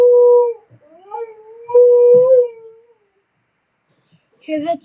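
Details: Young pet Siberian husky howling: a smooth, sustained mid-pitched howl lasts about three seconds, wavering and rising slightly. A brief break follows, then a short, higher yelp-like sound near the end.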